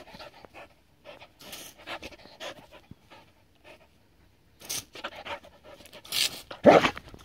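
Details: Seven-year-old Border Collie, Adaike Polední kámen, playing with water: short breathy panting bursts and snorts broken by quiet gaps, ending with a loud splash-like rush of noise.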